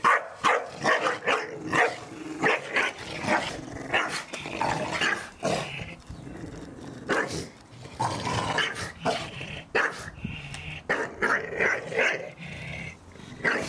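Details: Garden play among Staffordshire Bull Terriers, each given a ball for Christmas and allowed to shred one; rapid, uneven bursts of growls and gruff barks, repeated throughout with short gaps.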